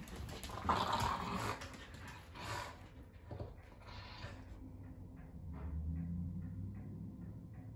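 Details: Boston Terrier and fluffy Keeshond playing tug, low rumbling growls with broad noisy bursts early on, then a steady low growl with faint repeated ticks toward the end.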